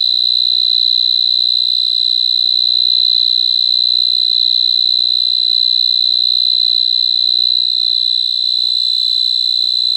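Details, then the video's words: Cricket chirping as an unbroken, shrill, high trill of rapid, regular pulses holding one pitch throughout, with no other sounds. "Cricket Chirping Sound"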